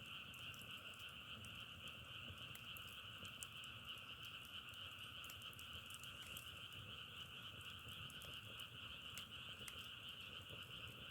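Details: Frogs calling together in a nature recording, a steady dense trilling drone in two pitch bands, one mid and one higher, running without pause, with scattered sharp crackling clicks throughout.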